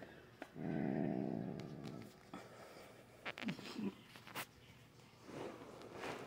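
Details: Grumpy female house cat growling and hissing, scared before nail clipping, indoors: a long low rumbling growl, then short hisses and a brief yowl, while her owner speaks softly.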